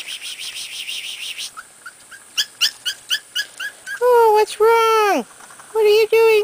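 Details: Corgi puppies in a puppy play yard, outside for the first time: after a run of rapid pulsing chirps and scattered short squeaks, drawn-out harmonic whines rise and fall in pitch, some sliding down at the end, with a woman talking nearby.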